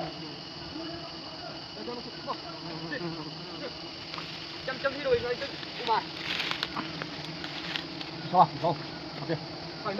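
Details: Honey bees at a hive being harvested the traditional way in Nagaland: a steady, dense swarm hum with layered droning tones, occasional louder buzzes passing close, and faint human voices in the background.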